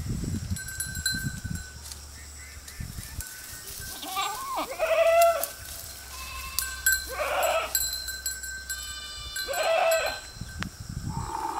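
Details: Goats grazing beside a road: several loud, wavering bleats at about 4–5, 7 and 10 seconds, with lower rumbling noise and a steady hum early on.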